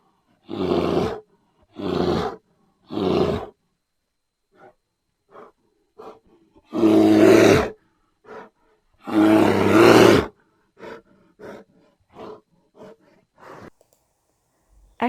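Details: Bear giving low, rasping growls: three short bursts, then two longer, louder roaring growls, then a string of soft, faint grunts trailing off.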